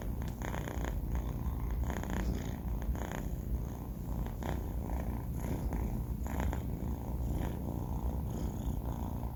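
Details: Sleeping four-month-old tomcat Banh Mi gives a continuous deep rumble, low and even, with gentle breathing surges recurring every second or two and faint background hiss.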